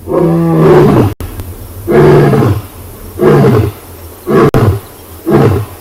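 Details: Sunrise, 5 August, Tswalu Kalahari Reserve in South Africa: a huge male lion roars after scent marking on the quarry. One long, powerful moan opens the sequence, followed by four shorter, deep grunting bursts spaced roughly a second apart.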